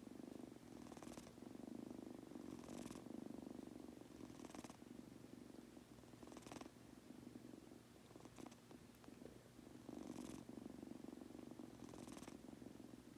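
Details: A male Munchkin kitten falling asleep purrs steadily, a low rumbling drone that swells with each breath.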